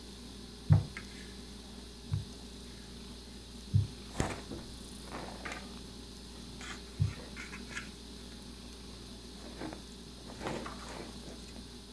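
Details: A steady low hum fills the background, broken by a handful of sharp knocks and soft thumps. No animal call stands out.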